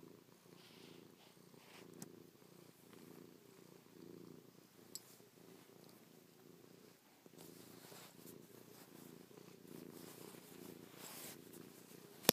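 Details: House cat purring contentedly as it kisses, paws and licks its owner's face, having slept on the owner's back all night; continuous throbbing low purr with soft rustles and an occasional click.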